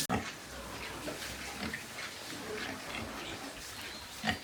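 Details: White pigs on a pig farm in Nepal, giving low scattered grunts and short snorts spread through the clip, with a sharp knock at the start and a louder grunt near the end over steady farm background noise.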